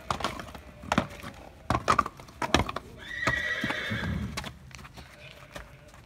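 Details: Andalusian horse calling amid loud hoof clip-clops and thumps; a held, tonal neigh with stacked overtones lasts about a second and a half midway, with a person's voice nearby.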